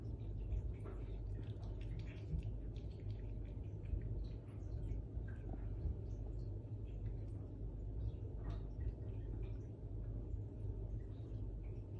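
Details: Low indoor rumble with faint scattered clicks and no animal voice.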